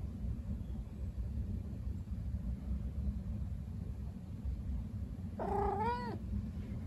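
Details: Young female domestic kitten, a white calico aged four months and one week, in her first heat and calling for a male. Two short, arched, harmonic meows come near the end over a steady low rumbling background.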